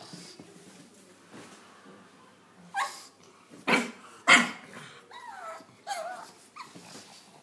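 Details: Pug kept from climbing the stairs by a cat: breathy huffing, then three loud, sharp yips about half a second apart, followed by wavering, high whines that rise and fall.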